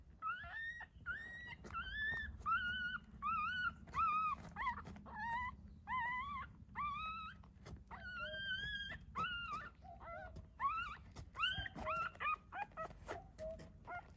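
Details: Whimpers from dogs where a mother dog has given birth to puppies in a secret, quiet spot; rapid high-pitched squeaks and wavering whines follow one another almost continuously, several per second at times, over soft background hum.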